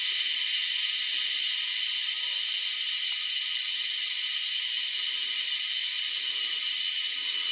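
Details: Unusual cicada call: an unbroken shrill buzz, even in loudness and pitch from start to finish, with faint scattered ticks underneath.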